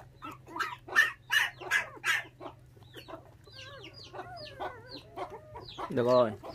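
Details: Five puppies, motherless from six days old after dog thieves took her, fed milk from a bottle; a row of loud squealing cries, then softer bending whines and a low, harmonic moan at the end.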